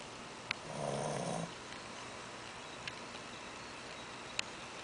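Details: A Shih Tzu puppy gives a single soft, rumbling snore on an indrawn breath after eating too much, with a few faint clicks around it.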